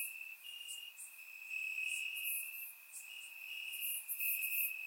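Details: Warm summer night in Bulgaria with crickets calling from the grass: continuous high-pitched trilling that wavers between two close pitches, layered with fainter rapid shimmering chirps above, recorded in surround sound.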